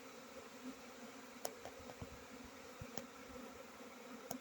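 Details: Steady, faint droning hum of honey bees runs without a break, punctuated by a few sharp ticking clicks spaced over roughly four seconds.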